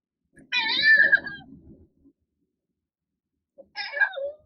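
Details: ['A domestic cat lets out a voiced yawn indoors: a drawn-out, harmonic meow-like sound lasting about a second and a half, then after a pause a shorter second voiced yawn.']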